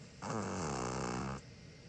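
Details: Asleep at home, a pet Chihuahua from a brother-and-sister pair (six-year-old white male, five-year-old black female) gives one long, rough, nasal snore lasting just over a second, low and vibrating, then quiet.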